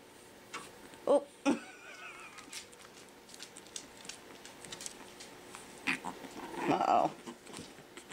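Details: Five-week-old Pekingese puppies play in their pen after breakfast: two sharp yelps, then a brief wavering high whine, with scuffling paws and soft pattering throughout and a woman's voice near the end.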